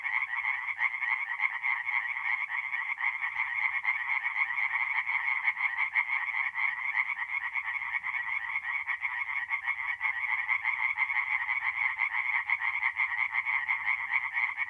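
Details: Tree frogs in full chorus at a forest pond on an April night in north-eastern Italy, countless quick croaks merging into a continuous rattling drone, a soft low hum in the background.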